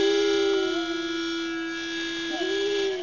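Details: A Basset Hound in a musical family, learning to match the pitch of a pitch pipe, gives a long, steady, mellow howl that briefly dips and then rises back to pitch.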